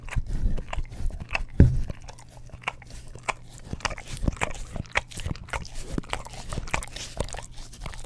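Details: English Cream Golden Retriever indoors licking an Orapup tongue cleaning brush beside a Blue Yeti stereo microphone. Wet clicking and smacking licks, irregular and closely spaced, with one louder thump near the start, in a quiet room.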